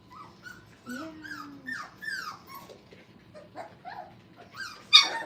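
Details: Five-week-old Brittany puppies playing indoors at a training kennel: a string of thin, high whimpers and short yelps that bend up and down, one longer low whine near the start, ending in a sharp squeal.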